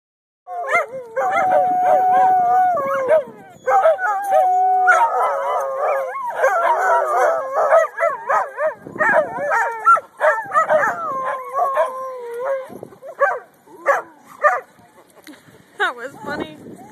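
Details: Two pet dogs howling together indoors, long wavering tones rising and falling with layered harmonics, voices overlapping almost continuously for about fifteen seconds, breaking into short yips and broken howls near the end.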